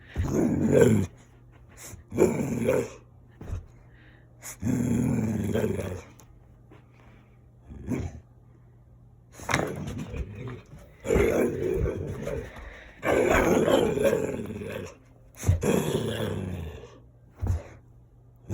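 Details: Dalmatian dog at play producing gremlin-like noises: throaty, gravelly growls and grumbles in irregular bouts of one to two seconds, some short and some longer, separated by quiet pauses, indoors.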